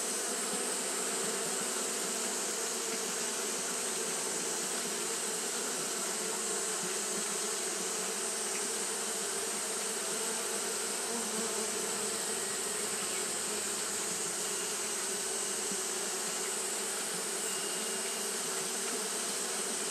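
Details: Japanese honey bees fanning constantly through a hot day, their combined wingbeats forming a long, steady, humming drone with no breaks, accompanied by an unchanging high hiss.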